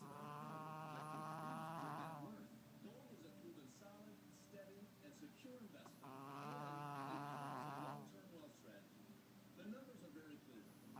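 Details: Asleep Chihuahua called Tubby snoring loudly: two long, rough, vibrating snores of about two seconds each, roughly six seconds apart, with softer wheezing breaths between them.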